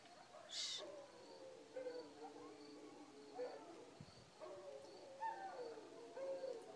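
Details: Coyotes yipping at night around 2:30 am on a pitch-black village back porch, setting off the village dogs howling; overlapping wavering howls and yips in a chorus, with a sharp high yelp near the start and crickets faintly behind.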